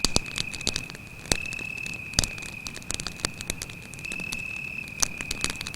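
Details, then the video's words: Continuous shrill cricket trill, unwavering in pitch, heard at night near a crackling campfire in the forest; loud wood pops and snaps from the fire punctuate it every second or so. "звуки сверчка"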